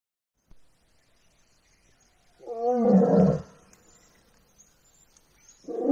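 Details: Asiatic lion in the Gir jungle, Gir National Park, gives a deep, rough, moaning roar lasting about a second, then starts another.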